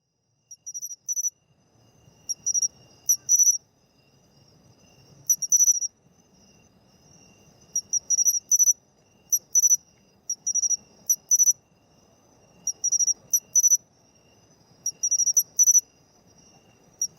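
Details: Pine cricket (matsumushi) singing in autumn, heard as 'chinchirorin': short, high, bright metallic chirps in clusters of two or three, repeated every one to two seconds, over a faint low rustle.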